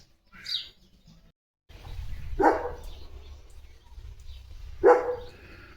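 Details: Leo, a pet German Shepherd, during morning play at home: two loud, separate barks about two and a half seconds apart, with low background rumble between them.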